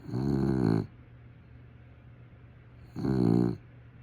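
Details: Sleeping dog snoring: two low, rattling, throaty snores about half a second long, spaced roughly two and a half seconds apart, with quiet breathing pauses and a steady low hum in the background.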